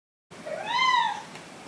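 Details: Indoor kitten meeting older cats for the first time; a single arched meow rising then falling, with faint human voice afterwards.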